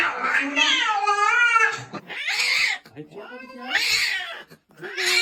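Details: Indoor pet cat letting out drawn-out, yowling meows in several bursts, a long wavering cry followed by shorter calls, with a person speaking in between.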